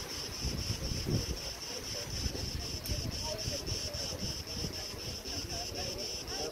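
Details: Crickets chirp on Crete's Preveli Beach in August 2020 with steady, rapid high pulses about four a second, backed by gusty wind through tree branches.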